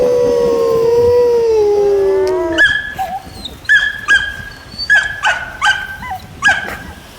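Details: Dog responding to attention-getting sounds: a sliding howl fades into a run of short, high yips and barks, roughly two to three per second, with brief gaps between.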